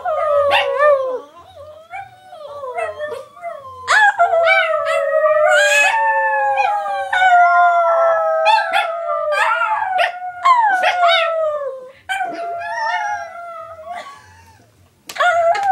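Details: Three pet Chihuahuas howl together in thin, high, wavering, overlapping wails, sliding up and down, punctuated by quick yips and brief barks.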